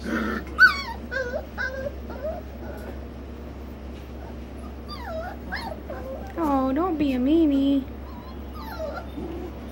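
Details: Golden retriever puppies, four weeks old, playing in a litter of seven, give repeated high wavering whimpers and yips, rising and falling, with a longer whine near the end, over a steady low hum and a woman speaking softly.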